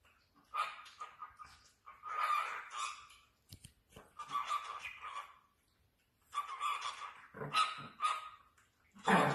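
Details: High-pitched yapping barks from Chihuahua puppies, delivered in ragged bursts of several quick yelps separated by short pauses, with a final sharp yelp at the end.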